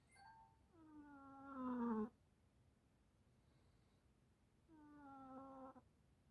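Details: Snoring house cat indoors making long, tonal, moan-like sounds: a rising-and-swelling drawn-out note ending abruptly, then a softer similar note after a gap of nearly three seconds.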